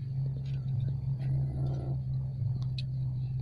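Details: A steady low engine or vehicle rumble with faint murmured speech in the background; no animal voice is heard.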